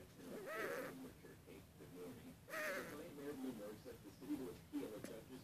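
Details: A Russian Blue cat gives two drawn-out, wavering meows separated by softer murmuring sounds; its pupils dilate as it vocalizes.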